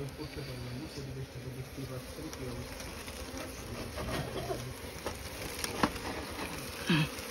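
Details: Swarm of small Asian honey bees around their nest inside straw during honey harvesting; an even droning buzz runs throughout, a low hum in the first seconds, with people talking and moving close by toward the end.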